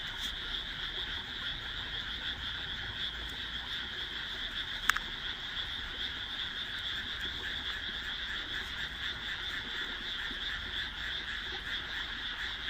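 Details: Dusk chorus of frogs in a rice paddy between houses, just after rice planting on 1 June 2012; steady dense croaking throughout, with one sharp click near the middle.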